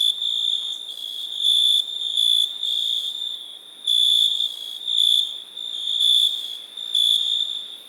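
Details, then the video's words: A cricket chirps in loud, uneven bursts roughly once per second over a constant high-pitched background trill. "Cricket sound"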